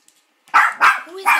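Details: Molly the Maltipoo barking at a grandfather's oil painting: after a short silence, three loud high yappy barks in just under a second, a soft whine between the last two.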